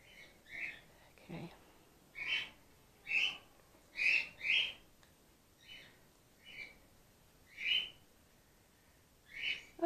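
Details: Grey-headed flying-fox pup Gwickle, female, day two in care and bottle support fed after her mother lost her milk from concussion; a run of about ten sharp high squeaks, roughly one per second, some in quick pairs, over a quiet indoor background.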